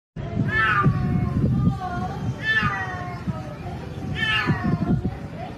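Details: A splashed cat asking for help gives three drawn-out, wavering meows roughly every two seconds, each rising then falling, over a steady low rumbling background.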